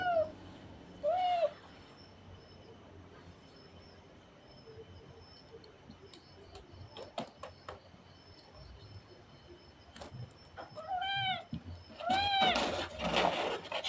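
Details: A cute cat gives a few short, high, arching meows, one near the start and a pair near the end, separated by quiet stretches with faint clicks and rustling.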